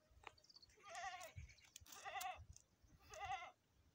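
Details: Goat bleating during a premature birth: three wavering, quavering harmonic bleats within four seconds, each close to half a second long, over faint low rumbling noise.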